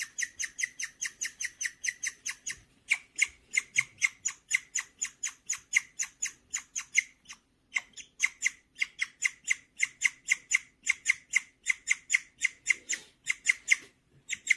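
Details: A pet guinea pig named Gureum chirps birdlike when in a good mood, indoors: long runs of shrill rapid chirps broken by brief pauses, then starting again at the same quick pace.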